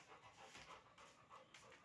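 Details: Labrador Retriever at play, panting in short airy bursts that come in quick uneven pulses, with little else in the background.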